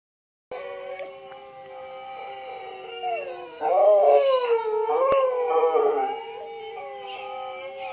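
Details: Pet dog howling indoors: a sustained tonal howl with rich harmonics, wavering and rising into a louder, bending phrase midway, then easing back to a steady lower tone.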